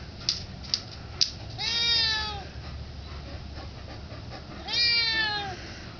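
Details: Junior the domestic cat begging for some turkey: two drawn-out meows, each rising then falling over about a second, three seconds apart, preceded by a few faint clicks against steady low background hum.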